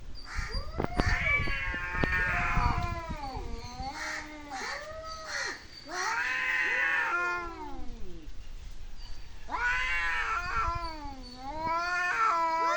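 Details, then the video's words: Cats making weird noises: a long run of drawn-out, wavering meows that rise and fall in pitch, following one another almost without a break. "Cats making Weird noises"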